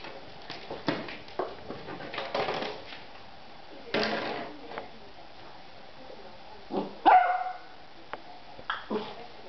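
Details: Beagle named Alvin barking while playing with a plastic bottle: a handful of short, sharp barks spaced a few seconds apart, one with a clear ringing tone, between bursts of crinkling plastic and scraping.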